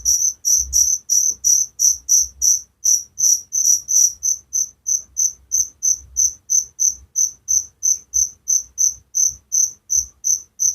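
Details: Crickets at night in a village setting, a steady series of high, pure chirps repeated about three times per second, with a second fainter caller overlapping early on; soft low rumble beneath.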